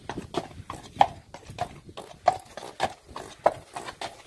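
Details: Friesian horse hooves on a hard surface, sharp irregular clip-clop strikes about one or two per second, each a crisp broadband knock with no other clear sounds.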